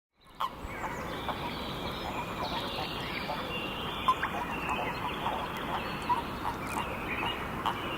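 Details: Natterjack toads at Padakõrve, wrestling; a dense, continuous rattling chorus forms a steady churring wash, with a few faint sharper notes standing out.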